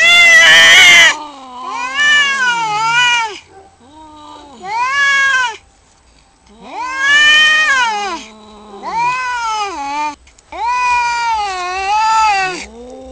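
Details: Cat in a fight gives a harsh burst of screeching, then a series of loud, wavering yowls that rise and fall. Each lasts one to two seconds, with short silent gaps between them.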